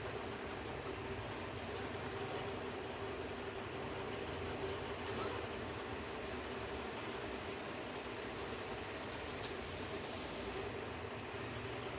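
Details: Steady broadband rumble and hiss, like a passing train or machinery, continues throughout with no meowing or other animal voice.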